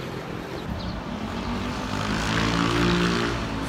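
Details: Traffic and aircraft engine drone in an urban residential area of Taguig, Manila, Philippines, with a steady broadband rumble that swells after two seconds; no animal calls are heard.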